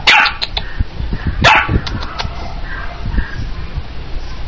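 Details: Lady, a red sable longhair Chihuahua puppy, gives a sharp high bark near the start and a louder yappy burst about a second and a half in, with softer scuffles and low household rumble between.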